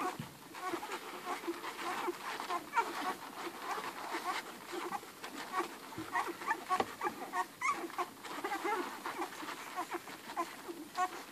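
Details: Dense wet suckling noises from a litter of eleven hungry Irish Red and White Setter puppies feeding on Ruby, their mother, with short thin squeaks and whimpers rising above the steady smacking.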